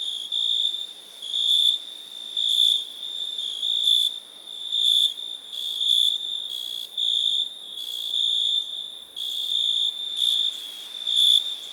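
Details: Cricket chirping: a steady high-pitched trill with short louder pulses recurring roughly once a second, several overlapping callers, no other sounds.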